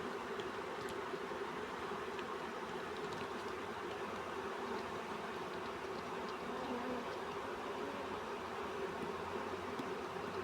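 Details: A honey bee swarm is being caught. A dense, steady droning hum continues unbroken throughout, with no pauses or changes in loudness.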